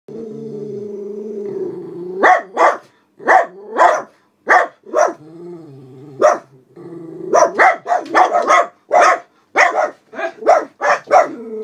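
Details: Two senior black Miniature Poodles, Alice and Charlie, aged about 12 and 11, guarding at a house window as someone walks past with another dog: a long whine and low growl, then rapid sharp barks in bursts, with a brief whine between.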